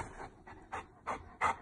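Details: Butters, a rescued Saint Bernard puppy, talks back when told it is bedtime: a series of short, breathy, huffing bursts, the last three growing louder and spaced about a third of a second apart, in a quiet indoor room.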